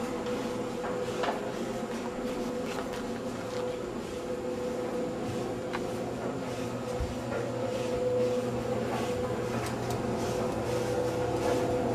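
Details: Indoor room noise in Madrid with a steady mechanical hum and scattered clicks, knocks and rubbing sounds, with no animal call heard.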